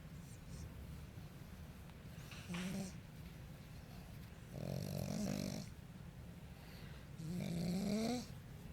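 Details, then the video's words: Pug asleep indoors after a deep tissue massage, snoring in three raspy, low rumbling breaths with a faint whistling edge, spaced about two seconds apart, with quiet room hiss between them. "Pug gets a deep tissue massage, falls asleep and snores"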